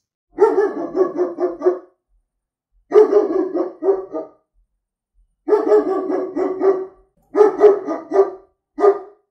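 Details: German Shepherd barking in short rapid volleys of four to six deep, harsh barks, five bursts separated by brief silences, in a quiet setting.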